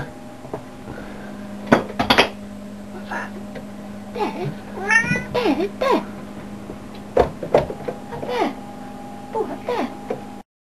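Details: Domestic cat meowing indoors in a small room, with a clear rising-falling meow near the middle and a few shorter mews, while people talk excitedly and repeatedly say "up there" as they point out where the cat is.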